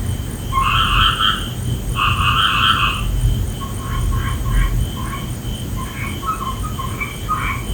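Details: Frogs calling at night: bursts of harsh, pulsed croaks in two bands, long rasping notes followed by quicker clipped notes, over a constant low hum and a steady high whine.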